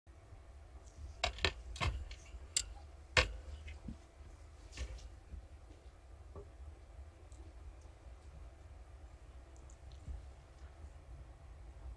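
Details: Scattered sharp clicks and taps over a low steady hum, with no animal voice heard.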